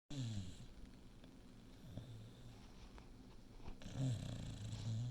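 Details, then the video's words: Six-year-old female English Bulldog snoring while awake: low, rough, rumbling snores at the start and again from about four seconds on, with a quieter breathy stretch between. "Bulldog snoring but awake?"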